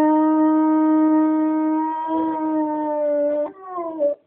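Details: English springer spaniel, a pet dog, howling or 'singing' on its owner's request: one long, steady, tonal note held for about three and a half seconds, then a brief lower, wavering tail before it stops.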